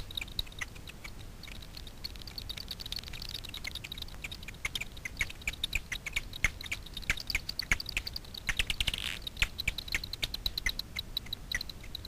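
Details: Daubenton's bats catching insects off the water of Miedwie lake, north-west Poland, through a frequency division ultrasound detector. Continuous rapid clicking, with a brief dense rattling burst near the end.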